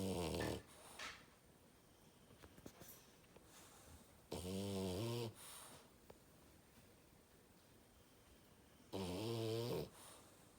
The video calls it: Loudest Snore Ever of a French bulldog